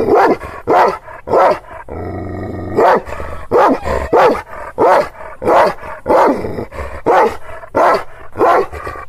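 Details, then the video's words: Angry Kangal shepherd dog in Aksaray, Anatolia, reacting to unfamiliar visitors: a fast run of deep, rough barks roughly every half second to second, briefly pausing near two seconds where a low growl and steady hum fill the gap. "Kangal çoban köpeği Aksaray malaklisi Anadolu aslanı vahşi hırçın kızgın köpek havlaması urmesi sesi"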